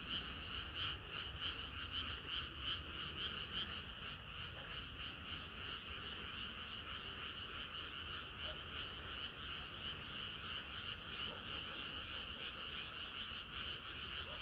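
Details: Hot summer night with frogs in full chorus, many voices croaking in quick overlapping pulses, louder and more distinct in the first few seconds, then a steady dense drone of calls.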